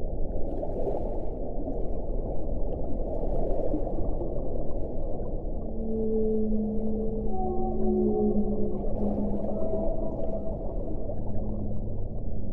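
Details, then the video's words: Humpback whales seen during a whale-watching sighting; long low moaning tones held steady and overlapping, with several higher wavering notes joining midway over a constant rumble of water and boat noise. "AVISTAMIENTO DE BALLENAS JOROBADAS"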